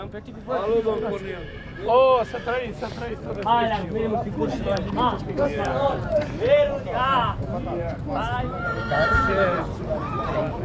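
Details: Fitero-line stallions at Gura Humorului, Romania, in 2022, giving repeated arched, harmonic neighs and whinnies in short bursts. People talk over and between the calls, and hoofbeats sound faintly in the background.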